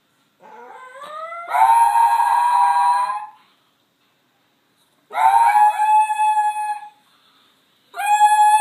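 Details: A young-sounding male gray wolf gives three high howls a few seconds apart, each rising from a thin start into a bright, sustained, ringing tone; he is howling over his female mate.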